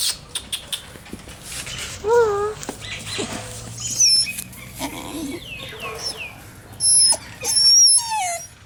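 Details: Puppy in Delhi giving a string of high whimpers and squeaky whines, some sliding down and others rising, between soft clicks and short pauses; a faint low hum runs underneath.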